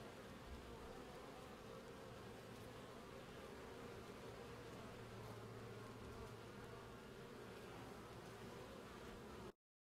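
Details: Honey bees buzzing: a dense, steady low droning hum of many wings with broadband hiss, continuous for about nine seconds before cutting to silence.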